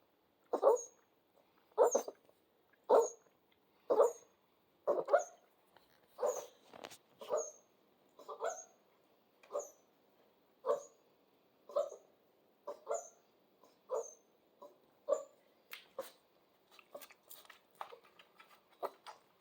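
Central Asian Shepherd puppies give short, yelping barks and whines, about one a second.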